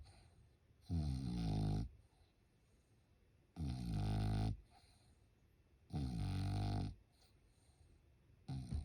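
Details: French Bulldog asleep indoors during Golden Week produces deep, buzzy snores roughly every two and a half seconds, each rumbling for about a second, with hushed breaths in between.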